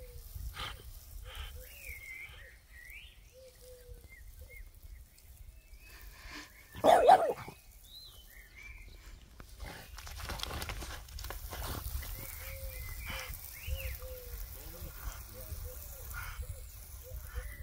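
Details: French bulldog outdoors arguing with a water sprinkler: short arched, whiny yelps and grumbling vocalisations repeated through the clip, with one louder harsh bark burst midway, over a constant hiss of spraying water.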